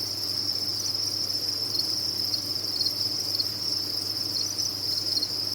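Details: Many kept crickets on a cricket farm, dense continuous high-pitched chirping forming a steady shimmering trill with slight pulsing, plus a faint low hum underneath.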